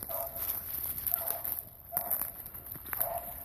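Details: A neighbours' dog, heard across a rural backcountry property, gives distant, short, tonal, yelping barks in spaced bursts about a second apart.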